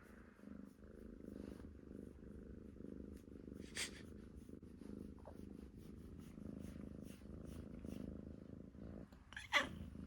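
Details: Koyu, a pet cat from a multi-cat household, snores while asleep indoors: a soft, low, rasping rumble in steady breathing pulses about once a second, with faint clicks and a brief sharper noise near the end.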